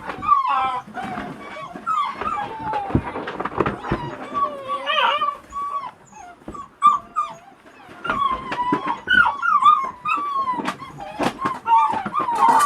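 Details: Presa Canario puppy, a female almost two months old, giving repeated high whining whimpers with wavering tones, mixed with short yelps and some human speech in the background.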